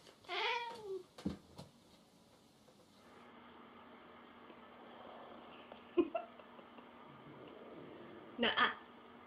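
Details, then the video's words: An indoor cat feeling jealous gives one clear falling meow at the start, followed by a steady background hum, sharp knocks and a short noisy burst near the end. "Cute cats feel jealous Funny jealous cats compilation"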